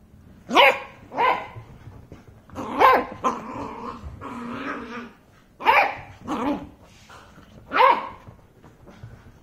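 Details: Waffle, a Beagle puppy, annoyed and confused, gives a run of short yelping barks and whiny howl-like vocalisations, loud bursts roughly every second with a sustained whine in between.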